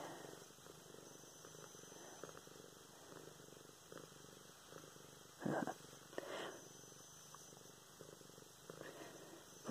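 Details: Pet cat Luna purrs while being stroked indoors, recorded November 24, 2016; a continuous low, even purr broken near the middle by a brief burst of human speech and some handling noise.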